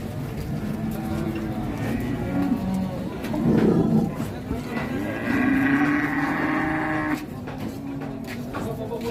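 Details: Large Pegon bull at a crowded cattle market in Indonesia, giving low, drawn-out moos partly buried under people talking, general market noise and faint music.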